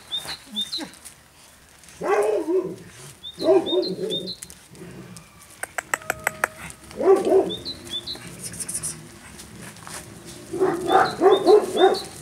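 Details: Two Caucasian Shepherd puppies give short, hoarse barks in bursts of three or four around two, four, seven and eleven seconds, with quieter gaps between and a brief rattling clatter near six seconds.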